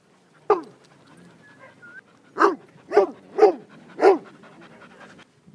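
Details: A pack of more than 20 mixed-breed dogs plays peacefully in a small dog school in Szentendre, Hungary. Five sharp barks come in two bursts, one single and then four in quick succession, over a soft murmur of background noise.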